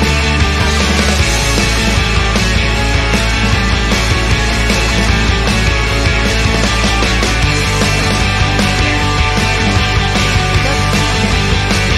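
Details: Loud driving rock music with pounding drums and distorted guitars fills the whole stretch.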